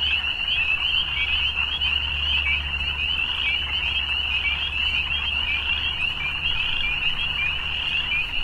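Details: Frogs calling together in the evening, a continuous high-pitched trilling mass of overlapping voices with no pauses and a soft low rumble beneath.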